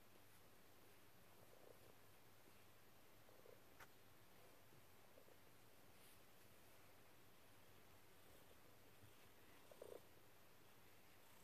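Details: Quiet, steady low purring from Dexter, a cuddly cat kneading on a lap, with a few soft chirrups and a faint click over eleven seconds.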